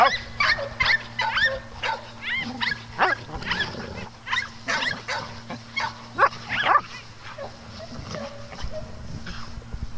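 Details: Dogs playing on a farm, barking in short bursts with some yelps, many overlapping barks over a steady low hum.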